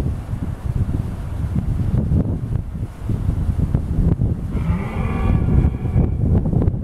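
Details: A red deer gives a drawn-out, moaning bellow over heavy wind rumble at Wollaton Park, Nottinghamshire, on 23 October 2014, with a stag and hinds present.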